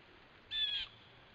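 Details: A red fox gives a single harsh, high-pitched alarm bark, sharp and raspy, lasting about a third of a second; recorded 12 September 2015.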